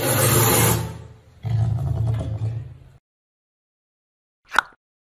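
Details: A caracal in Bali, being towel-dried after swimming in a pool, gives two harsh, deep, growling screams, followed by a brief knock.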